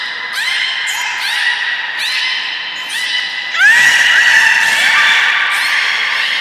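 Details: Beluga in an aquarium at Nagoya port, Japan, on 16 March 2019, during fish feeding and later play time: a series of rising, squeaky whistles about once a second, then a louder sustained whistle with a sliding upsweep, in an echoing hall.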